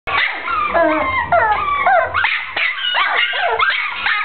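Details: Brown short-haired dachshund kept as a pet, giving a rapid run of high, harmonic yips and yelping barks with bending, whiny pitch, nearly continuous for four seconds, a short gap near the middle.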